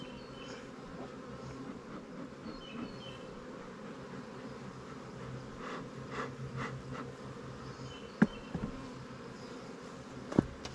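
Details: Busy colony of honey bees buzzing inside a fast-growing split hive twenty days old, its mated queen laying well and workers drawing comb in the honey supers; a continuous even drone throughout, with a couple of faint clicks and taps.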